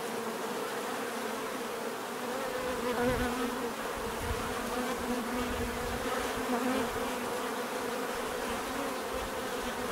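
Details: Bees making a natural buzzing sound, a thick droning hum that swells slightly near the middle as individual insects pass closer, steady and unbroken.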